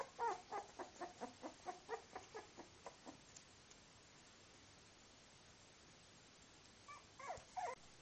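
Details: Twenty-four-day-old male Miniature Bull Terrier puppies, three littermates named Universe, Uncas and Uncle Sam, utter a rapid run of short rhythmic squeaking calls for three seconds, then quiet, then a few more whines.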